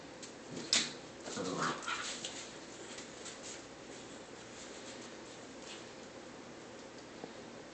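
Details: A Labrador and hound mix puppy named Walker, adopted from a humane society as the last of a litter of four, whimpers and whines while thinking he sees his brother; a brief high cry then a wavering whine over faint background noise.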